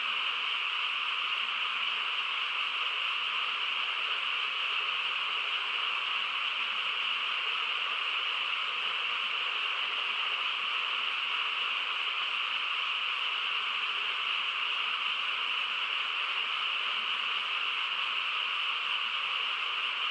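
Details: Countryside frog chorus on a still night, many voices merged into one continuous even hum that holds the same level from start to finish, without individual calls or other noises breaking through.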